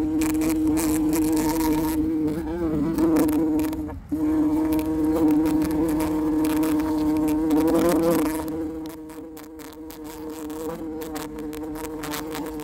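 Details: Bumblebee in flight giving a steady, droning buzz with a low hum and rich overtones. The pitch wavers slightly, briefly breaks off near four seconds, then resumes and fades softer in the last few seconds.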